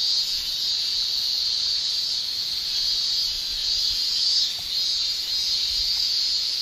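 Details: Tymbal song of male Japanese cicadas in summer, a constant piercing buzz-like shrilling that holds one high pitch, with faint soft swellings and a brief louder surge near the middle.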